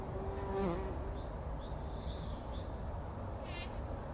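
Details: Several bumblebees rolling in a poppy flower in a pollen bath early in the morning before sunrise, 2019; a low continuous buzzing drone, with faint distant bird chirps and a short crackling rustle near the end.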